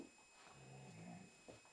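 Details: Pet Pointer dog indoors, singing along to a Rihanna song, gives a soft low hum-like whine rising slightly, then a brief higher squeak, with faint room noise.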